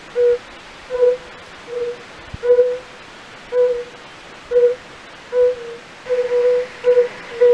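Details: A European fire-bellied toad (Bombina bombina) gives soft, low, mellow hoots, pleasant-sounding rather than croaking, repeated roughly every seven-tenths of a second, from a pool in the castle park at Raduň, Opava district, Czech Republic, where many are calling.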